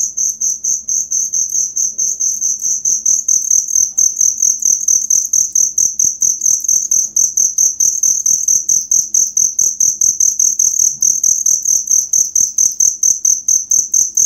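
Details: Original cricket song for training songbirds: steady, very high shrill chirps in quick even pulses, about two per second, continuing without pause, with faint low ticking in the background.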